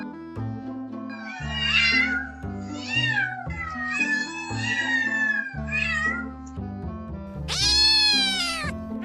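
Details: Domestic cat meowing repeatedly, a run of drawn-out, wavering mews with rising and falling pitch, ending in a louder, higher cry, all set over steady background music.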